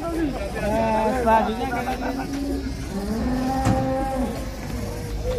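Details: Very large cattle at an Indonesian farm, brought out of the pen to be sold. A long, low, droning moo with gliding harmonics fills most of the clip, with background music underneath.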